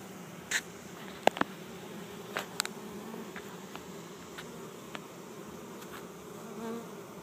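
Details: Honey bee swarm of 6,000–8,000 bees clustered on the ground in a yard in Chico, California, 2013, being captured into an empty hive: a low steady hum with scattered sharp clicks and taps.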